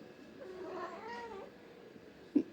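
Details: Angry domestic cat in an irritated mood gives a low, wavering moaning yowl lasting about a second, followed by a sharp knock; a woman speaking Kannada scolds and coaxes it.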